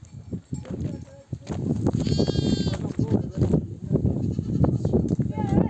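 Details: Returning from pasture with a nomadic flock, a mother sheep bleats for her lambs to come and suckle: one strong, wavering, harmonic-rich bleat at mid-clip, then a short higher cry at the end, over trampling hooves and human voices.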